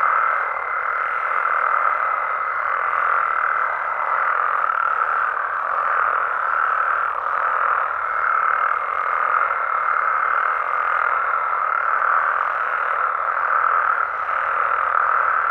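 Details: Mexican frogs and toads at night in natural surroundings: a continuous massed croaking chorus with a faint high whine that fades at about four seconds and returns near eight.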